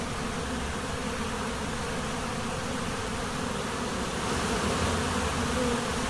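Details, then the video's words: Swarming honey bees at a monastery apiary make a continuous, thick buzzing drone with layered low tones, holding an even loudness throughout. "Пчелиный рой на монастырской пасеке"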